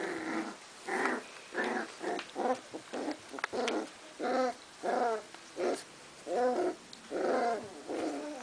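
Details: Cardigan Welsh Corgi puppies of a litter in Sweden, March 22, 2015, arguing after visitors left: short harmonic growling yelps in a rapid, uneven series, roughly one every second, each a rough, voiced burst.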